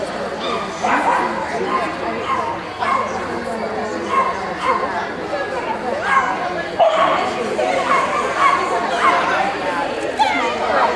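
A Corgi gives short, high yips and whining whimpers in bursts, with people talking over it.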